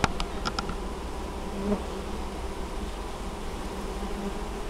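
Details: Honey bees hauling honeydew at a Polish apiary in Moszczanka, Opole Voivodeship, 19 August 2013; a constant low, throbbing hum of many bees, one bee droning closer around the middle, a few clicks at the start.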